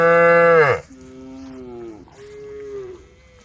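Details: Cow in a roaming herd of brown, white and black cattle on a dusty country road, calling the herd: a loud, rich, falling moo lasting under a second, then softer, lower drawn-out tones fading away.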